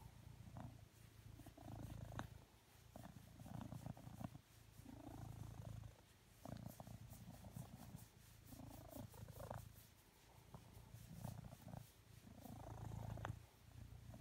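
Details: Blue British Shorthair tomcat asking for cuddles while lying on a sofa beside a person; a rich, low purr pulses in regular inhale and exhale waves roughly every two seconds, close and clear.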